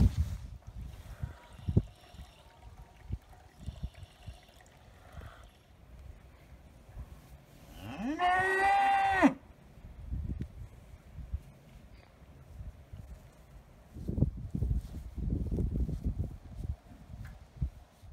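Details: Galloway bulls being moved to another meadow: one drawn-out, harmonic moo of about a second and a half that rises slightly partway through, with low rustling and trampling before and after and quiet stretches in between.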